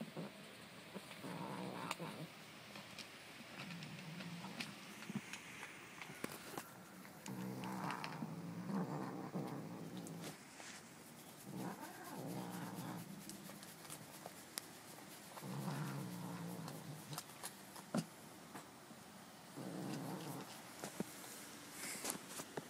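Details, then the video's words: Domestic cat Stanley growls in repeated low rumbling bouts of one to two seconds, spaced by short pauses, with clicks and rustling in between. "Stanley the growling kitty"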